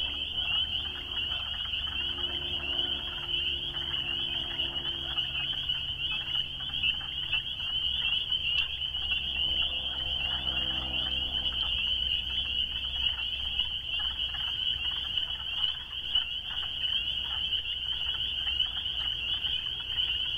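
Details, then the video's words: Many spring peepers sing together in an unbroken, shrill chorus of high peeps that pulse rapidly for the whole stretch, with faint low hum and scattered softer sounds underneath. "Rainette crucifère"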